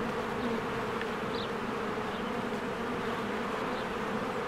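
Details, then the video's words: Busy spring beehive, swarms of honeybees flying in and out, a continuous layered buzz of many wings, steady and droning, with a brief high bird chirp near the middle. "1 Hour of a Beehive ASMR"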